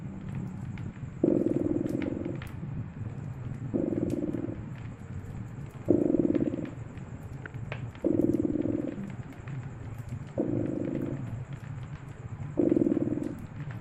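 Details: Purring cat by a crackling fireplace in winter; steady low rumble rising into louder bursts about every two seconds, six in all, while sharp fire crackles tick through the background.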